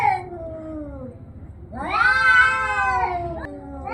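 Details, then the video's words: Kitten voicing a long, low, falling mew, then a louder drawn-out wailing meow that swells and fades, with a short call beginning at the end. "Cute Kitten Meowing - Kitten Playing"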